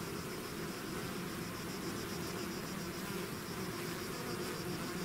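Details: Swarm of bees out of the hive in a natural setting, giving a continuous low droning hum under a wash of broad hiss, with no breaks in the buzz.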